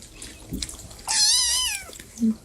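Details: A house cat in a comedy compilation gives one loud, clear meow lasting under a second. It rises, then bends downward at the end. A short low thump follows, over faint background noise.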